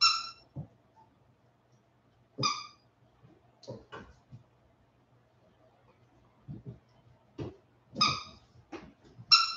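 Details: Westie puppies aged 47 days after an outdoor break, giving scattered high piercing squeaks mixed with low short grunts and thumps, irregular and overlapping.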